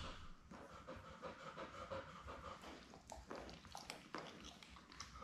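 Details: Newborn Labrador Retriever puppies, born May 24, 2021, with their mother Belle, seven pups named Poppy, Parsley, Basil, Dill, Clove, Paprika and Pepper, indoors on a puppy cam; soft panting and snuffling breaths with faint squeaks.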